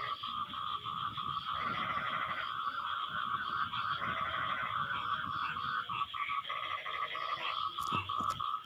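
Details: After rain, frogs answer each other in a dense chorus of rapid, rattling croak bursts, repeated irregularly about every second and a half. A constant shrill drone sits beneath, with a couple of sharp clicks near the end.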